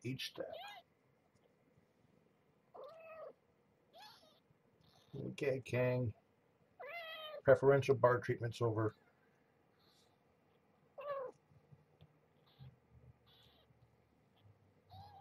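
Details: Morning feeding for Marge, once a pregnant stray, and her young kittens at Purrfect Pals; brief rising-falling mews come in between stretches of people speaking, with faint room hum.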